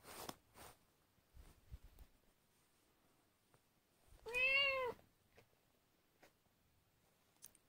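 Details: Tiny female Sphynx kitten, indoors while nursing and needing help to feed, gives one clear, loud, tonal meow lasting under a second, rising then falling, midway through an otherwise quiet stretch with soft rustling and faint clicks.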